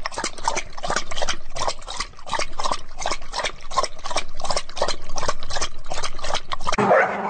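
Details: A dog makes rapid, rhythmic breathy pulses, about three per second, steady throughout, ending with a brief louder rustle.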